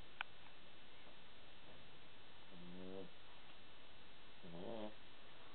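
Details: Dog sleeping on its back, paws up, snoring softly: two rasping, pulsed snore breaths about two seconds apart, the second slightly wavering, against steady low background hiss.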